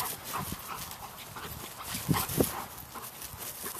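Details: Dogs at play time in November 2013: two Black Russian Terriers, mother and daughter Yara (10 months) and Sadie (5.5 years), with visiting Chihuahua Intee (9) and terrier Pinta (8 months); two short low growly bursts over scuffling and room noise.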